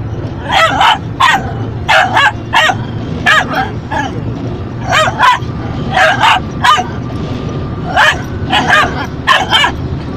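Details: A Yorkshire terrier, angrily reacting to the windscreen wipers inside a car, barks in sharp, high bursts, often in quick doubles, over a low engine hum.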